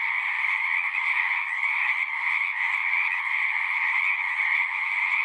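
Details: Many frogs singing at once, their overlapping trills forming a dense, unbroken chorus that holds steady throughout.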